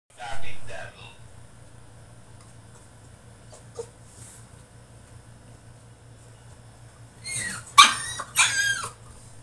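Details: French Bulldog throwing a tantrum in his cage: a brief whine at the start, a long quiet stretch with a steady low hum, then a burst of loud, harsh, rising and falling cries near the end.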